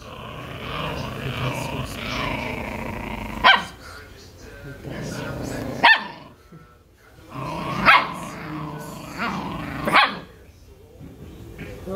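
An Italian Greyhound growls in wavering, rumbling tones, broken by a few sharp barks, asking for food.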